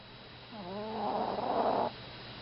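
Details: Chihuahua Mimi snoring while asleep: a single drawn-out breath, starting as a rising buzzy tone and then swelling into a rough, raspy rattle lasting over a second, against quiet room hum.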